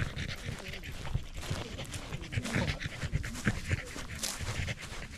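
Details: Corgi hiking a rural mountain on a sunny autumn day before the leaves changed, with views of the central Japanese Alps and Ina Valley; quick rhythmic breathy pants continue throughout, with faint outdoor background noise.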